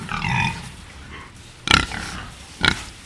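A wild boar gives a brief, whiny squeal, then two short, harsh grunts about a second apart.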